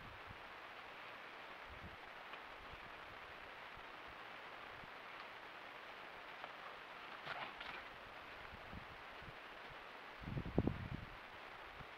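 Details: Quiet outdoor background hiss with faint rustling and a couple of soft knocks, with no animal call.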